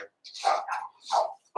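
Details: Four-week-old Cavalier King Charles Spaniel puppies from Daisy's litter in an indoor pen; loud high yelping squeals in two long bursts with a third starting at the end.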